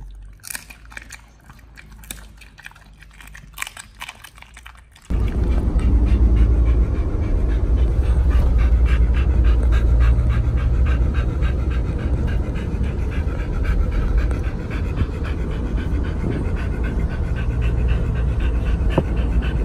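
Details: Pit Bulls Oliang and Nomyen on their Chinese New Year 2020 trip to Dog Space Hotel; after about five quiet seconds, rapid, steady panting breaths set in over a deep continuous rumble.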